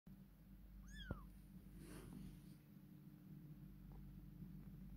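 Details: Domestic cat, a mother caring for her kittens indoors, gives a single short meow that rises then bends downward, lasting under half a second, over a steady low hum with faint room noise.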